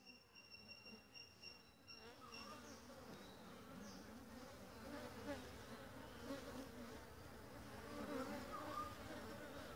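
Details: Honey bees of a new colony with a freshly raised queen foraging for pollen and nectar at a home-made feeder; low, even droning hum of many bees, a thin high whine fading out after the first seconds.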